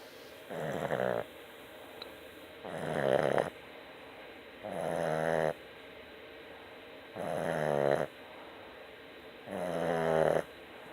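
A Boston Terrier snores in steady, rasping breaths, each about a second long and roughly two seconds apart.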